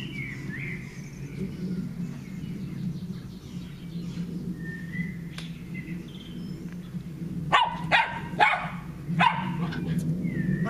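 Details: Two Shelties, eight-year-old Leo and the youngest, Maeva, at play in a garden on 12 June 2014; bird chirps, then a quick run of four loud barks near the end.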